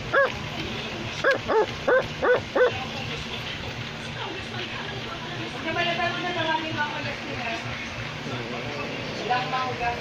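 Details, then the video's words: Australian Labradoodle barking: a quick burst of five sharp barks in the first three seconds, then quieter background with voices talking and murmuring noise. "Australian Labradoodle is barking"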